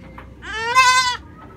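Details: A young goat, brought along while grass is being cut, gives one bright, wavering bleat, pitched high and rising slightly before cutting off, like a kid that has just found food.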